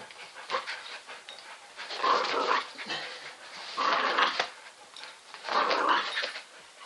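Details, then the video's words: Rotating Roxy the terrier, spinning in circles, makes three raspy, breathy growling surges. They come roughly every two seconds, each swelling and fading, with quieter snuffly noise between. "The Spinning Terrier "Rotating Roxy""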